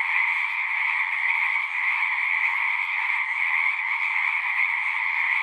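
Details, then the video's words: Many frogs singing at a pond in a horse pasture, recorded on a Zoom recorder: a dense, unbroken trilling chorus with steady bright bands, the voices merging into one continuous shimmering wall of sound. "Frogs singing"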